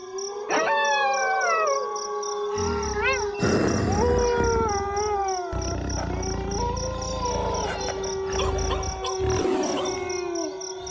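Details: Wolves howl together in overlapping drawn-out tones that bend and waver, with short rising yelps. A low rumbling noise runs beneath most of the recording, and a faint rhythmic high chirping persists in the background.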